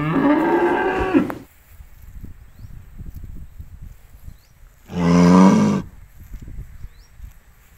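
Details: Cows grazing freely in an empty rice field: one long, deep, harmonic moo, then a quieter stretch with faint rustling, then a second, shorter moo about four seconds later.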